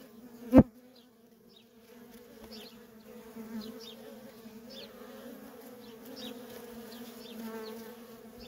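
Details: A sharp knock opens this recording of feral-colony worker honey bees in busy traffic, then a continuous two-toned buzzing hum swells gently, with brief high bird chirps scattered through the background.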